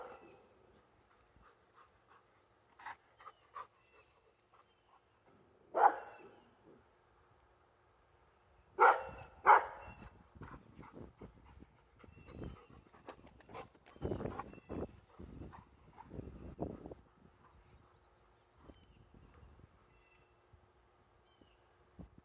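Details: Labrador Retriever, female, barking at planes: scattered barks, a few loud and most quieter, mixed with rustling and handling noise throughout.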